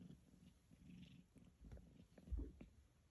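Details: Newly rescued kitten, taken in from outdoors late at night in May 2023, relaxing after a meal. A soft, low, pulsing purr rumbles throughout, with light rustling and a thump near the end.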